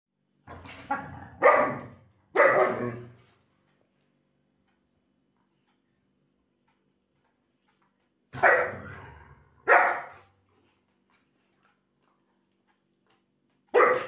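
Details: A female German Shepherd, being naughty while playing with her owner, gives loud, deep barks in short bursts of two or three.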